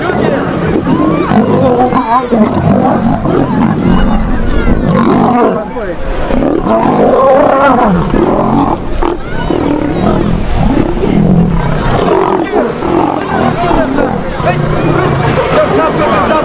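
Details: Lions in the Taigan safari park in Crimea, where 75 adult lions and lionesses were released from their enclosures and fought. Deep, rough growls and roars rumble continuously beneath loud human talk and crowd noise.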